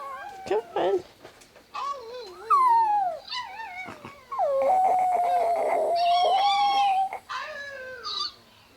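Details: Chihuahua howling while dog howling videos play on a phone, a male coaxed by his owner; wavering, sliding howls rise and fall, with one long, steady, drawn-out note near the middle, mixed with speech and brief music.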